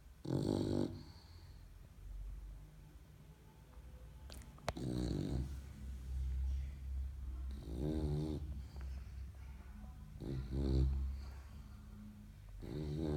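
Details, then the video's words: Young English Bulldog puppy in Portugal snoring while asleep: low rumbling breaths with rattling, buzzy snorts every couple of seconds, plus a faint click and soft room noise. "English Bulldog How loud can I snore"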